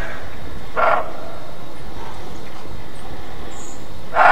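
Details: Alarm barking of roe deer: one short, gruff bark near the start and another at the very end, separated by a long pause, with a constant low-pitched background hum.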